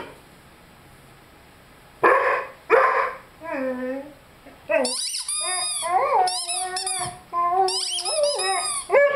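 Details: Lyle, a 5-month-old Rhodesian Ridgeback, playing with his squeaky chicken toy: two harsh barks, then wavering, harmonic howl notes that slide and bend, mixed with high, repeated squeaks from the toy.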